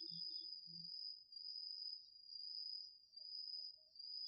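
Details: Night chorus of autumn insects, crickets among them, in a garden field, captured with a DR-40X recorder: one unbroken shrill trill runs throughout, a lower pulsing trill flickers briefly, and faint low thumps come early on.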